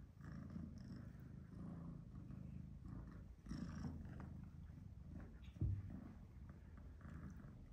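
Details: Low, steady rumbling purr from a domestic cat while an older black-and-white shorthair male, Tom, gives some tough love to Charlie, a British Shorthair male kitten. The pulsing drone stays soft and continuous, with a brief louder knock near the end.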